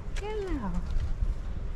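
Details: Oreo, a female cat, meows in her unique voice on seeing her owner and walks up to her: a single drawn-out meow sliding steadily downward in pitch over about half a second, over a low rumbling background.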